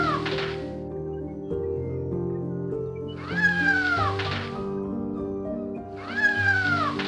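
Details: Domestic cat meowing twice, each a long arched cry, first rising and then sliding down, about three seconds apart, set against continuous soft instrumental music.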